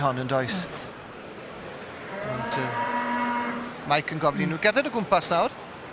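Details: A heifer sired by a British Blue bull moos: a short low call at the start and a steady, drawn-out harmonic moo near the middle, with a man speaking around it.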